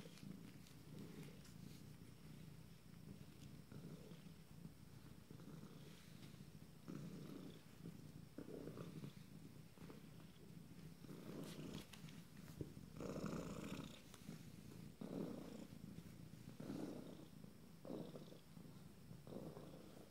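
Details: Steady low purring from 26-day-old kittens of a first litter, rising and falling with each breath, louder in the second half, with light rustling and clicks.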